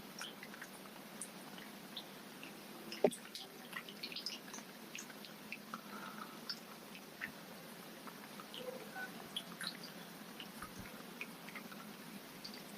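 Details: Goldfish eating with a chop-chop smacking noise: faint, uneven drip-like ticks and wet pops throughout, one sharp loud smack at three seconds, in a small quiet room with a low constant hum.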